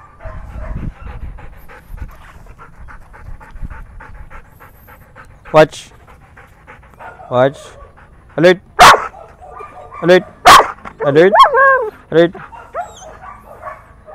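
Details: Belgian Malinois in the Philippines, during training: quiet human speech first, then a burst of about eight sharp, loud barks, some coming in quick pairs, spread irregularly across the second half.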